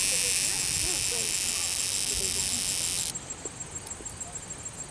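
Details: Cicada held after capture at Longwood Gardens, Pennsylvania: a dense, fuzzy, high buzz for about three seconds that stops abruptly, leaving a softer pulsed insect chorus behind.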